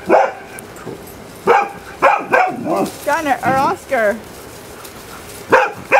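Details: Gunner playing with puppy Willow and other canine friends; sharp barks spaced a second or so apart, then a run of high, arching whiny yips in the middle, closing with two more barks outdoors.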